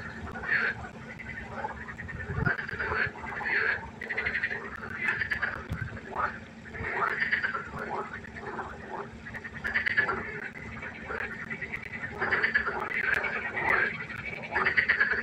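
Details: Pond frogs calling at night in a concert of many voices: short nasal croaks repeated in loose clusters, rising and falling in waves of loudness, with a steady low hum beneath.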